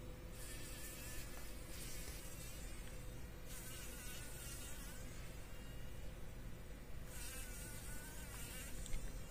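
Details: Fly caught in a spider web in a workshop corner, morning, struggling: a steady thin buzzing tone with faint overtones runs throughout, broken by several broad hissy bursts, over a constant low rumble.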